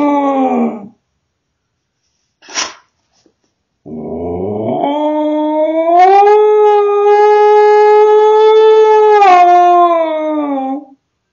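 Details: Kenzi, a sweet but cheeky female pet husky, filmed indoors by a home security camera and talking back after being caught being naughty. A short falling yelp comes first, then a long, steady, tonal howl that rises and holds for about five seconds before dropping away.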